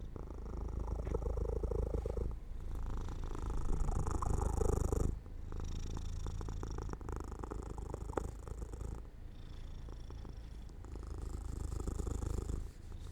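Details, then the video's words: Domestic cat falling asleep near an open window in the sunlight, purring steadily in a low continuous rumble with brief breaths and pauses around five and nine seconds. "falls asleep near an open window in the sunlight - My Cat Makes Sounds 3"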